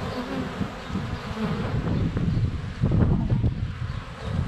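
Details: Close-up hive entrance of honey bees on a sunny February day, GoPro Hero 7 Black under a foot away; dense low buzzing of many bees flying past, with loud bursts and bumps as bees land on the camera.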